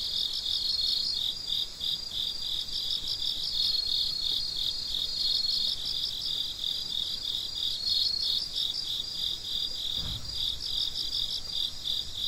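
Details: Night crickets around midnight make a steady, shrill, pulsing chorus of rapid chirps. Many callers overlap, and a single dull low thump breaks in about ten seconds in.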